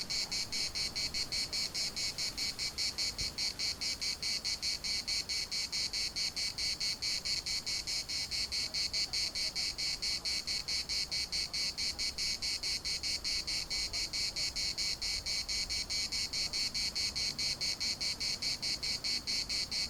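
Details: Chorus of cicadas in Larnaca's municipal park, a dense, unbroken run of fast buzzy pulses repeating roughly twice a second for the whole stretch, high and hissing, with little else audible.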